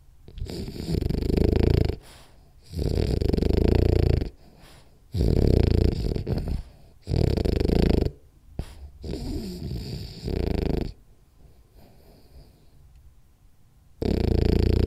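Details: Rolly the French Bulldog napping and snoring: a run of heavy, gravelly snores roughly every two seconds, then a quieter stretch of soft breathing before the snoring resumes.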